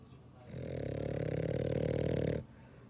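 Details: A dog's snore: one sustained, throaty rattling inhalation lasting about two seconds, steady and low with a fast flutter, then silence.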